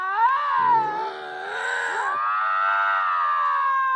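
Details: Lynx screaming at another lynx: a quavering yowl dips into a rough, grating stretch, then rises again into a sustained, whining cry that holds steady to the end.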